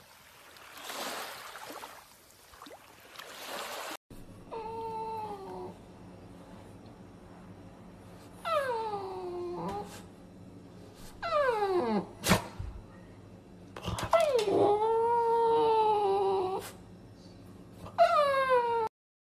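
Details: French Bulldog vocalising in drawn-out, whining howls that bend up and then slide down, given in separate bursts with short pauses between them; a noisy, rustling stretch opens the recording.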